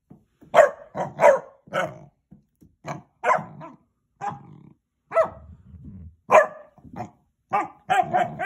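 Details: Basset Hound puppy wanting to play, giving a run of short, sharp barks in irregular bursts with brief gaps, some with a low growly undertone, ending in a quick cluster of yaps.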